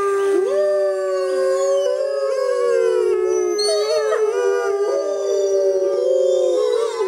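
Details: Grey wolves in the wild howling together on a full-moon night: several overlapping voices, one steady long tone with others sliding up and down around it, continuous and dense throughout.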